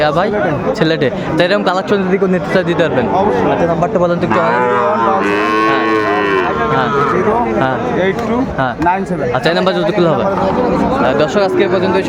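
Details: Market scene in Sylhet, Bangladesh, on 29 June 2024 with Sahiwal bull calves for sale; one sustained, rising-then-falling moo midway through, set against constant crowd noise and talking.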